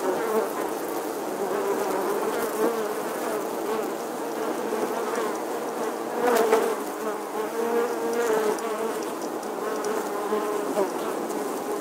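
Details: Western honey bees nesting in the stonework of an 11th-century English church wall in August drone steadily, a dense, layered hum of many wings from a busy colony.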